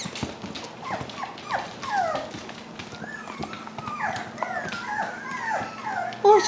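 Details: Five-plus-week-old Klee Kai–Shiba Inu puppies whimper with high, thin whines that slide downward, over and over.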